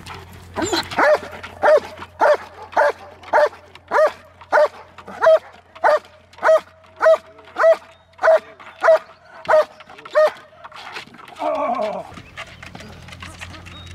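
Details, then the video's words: German Shepherd barking during a guarding exercise: a steady run of about fifteen loud, even barks roughly every 0.6 seconds, ending in a rougher, drawn-out growling bark near the end. "German Shepherd guarding exercises!"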